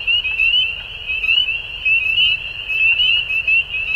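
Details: Frogs calling at dusk: a dense, high-pitched chorus of overlapping chirps forms a steady trilling band, pulsing in brief swells about twice a second, with fainter sharp notes above and a soft low rumble underneath.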